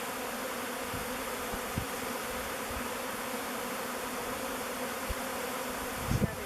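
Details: Honey bee swarm taking turns entering the mouth of the log hive Bee Beard, their chosen new home; an even, sustained droning hum, with a faint knock near the end.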